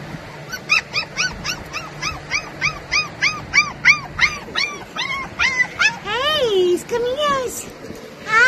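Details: Australian Shepherd puppies at a Sun City, Arizona breeder give a fast run of rising-falling high yips, roughly three per second, slowing into longer whining yelps near the end, a person talking softly in the background.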